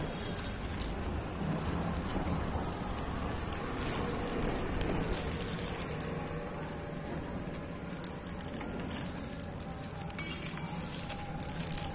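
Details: Broadband hiss of steady rain on surfaces, with faint low rumbling and scattered clicks throughout; no animal voice stands out.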